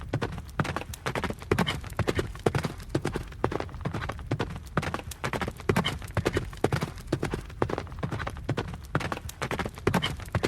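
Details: Running horse heard as a steady stream of sharp hoofbeats, dull thuds with crisp clicks layered in a fast, uneven clip-clop that carries through the whole stretch with no other clear sounds.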